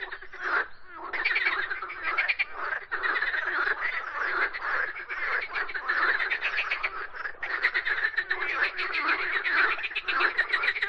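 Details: A frog chorus: steady rasping, pulsed croaks from several callers blend into a continuous grating drone with brief dips, one near the start and one after seven seconds.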